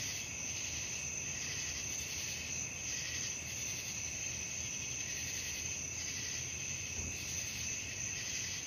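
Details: Crickets calling at night: bright, pulsing chirps rise and fall in regular bursts above a persistent thin high-pitched tone, with a rumbling broadband hiss underneath.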